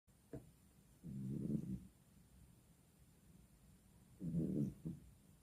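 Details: A cat snoring: two low, rumbling snore breaths about three seconds apart, with a short faint click just before the first and quiet stillness between them.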